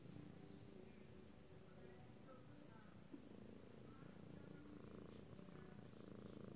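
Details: Lilac British Shorthair cat producing a continuous throbbing purr, low and rapid-pulsed, with faint higher tonal sounds and a small click heard along the way.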